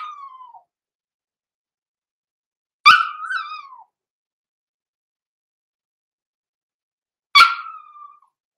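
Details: Six-week-old blenheim Cavalier King Charles Spaniel puppies, Roman and Blue, born November 14, 2022, in an indoor puppy pen: three short, high yelps spaced several seconds apart, each sliding downward in pitch, with silence between.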